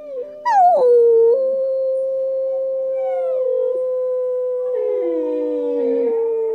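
A Siberian Husky puppy gives a long, wavering howl that rises, holds steady, then slides down.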